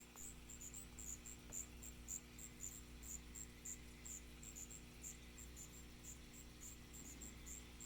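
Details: Striped ground cricket (Allonemobius fasciatus) chirping: short high pulses repeated about twice a second in an uneven rhythm, over a steady low hum.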